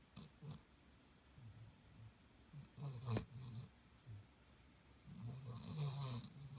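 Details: A sleeping Golden Retriever snores indoors: low, rough, rumbling breaths in irregular bursts, a sharp click partway through, and a longer, louder snore toward the end.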